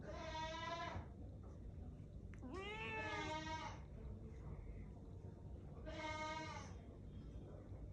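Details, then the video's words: An angry cat gives three drawn-out, harmonic-rich wails, each about a second long. The middle one bends sharply upward, with quiet pauses between and a low background hum. "Angry cat"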